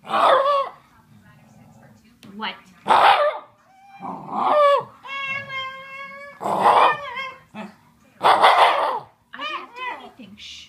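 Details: Male Shiba Inu yelling at his owner indoors, reacting whenever she sneezes, sniffles or coughs: loud, harsh, strained yelps in short bursts with a sustained whiny, tonal cry midway, interspersed with a woman telling him to sit and stop.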